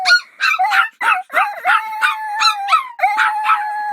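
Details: Dog giving quick yelping barks, about three a second, layered over a sustained wavering howl. The howl dips and rises between the yips, and no other sounds are present.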